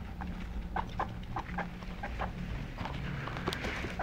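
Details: A pet guinea pig repeats short squeaky notes about three to four times a second, then goes quieter, over a low droning hum.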